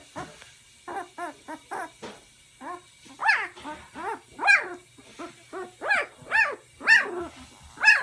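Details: Puppy about one and a half weeks old, waiting in a basket with its littermates while the puppy area is cleaned; rapid short squeaks give way to louder arched yelps repeated roughly every half second, over a faint steady hum.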